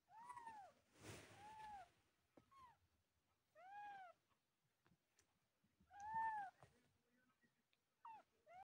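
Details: Newborn kittens that have just opened their eyes, several calling at once: thin, high, arched mews repeated irregularly, with a brief noisy burst near the start.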